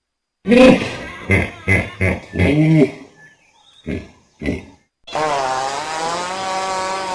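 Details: Hippopotamus growling: short, harsh grunting bursts rich in harmonics, a brief pause, two more low grunts, then one long, steady, buzzing growl with stacked harmonics holding to the end.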